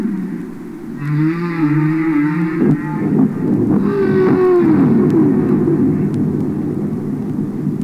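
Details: Humpback whales singing underwater in a commercial album recording: a wavering tonal moan with stacked harmonics followed by a faint descending swoop, all over a heavy rumbling underwater background.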